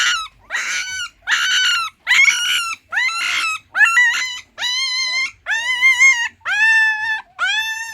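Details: Puppy whining in a regular series of nine cries, about one per second. The first cries are rough and breathy; the later ones are clear, bending up and then down, and the pitch softens.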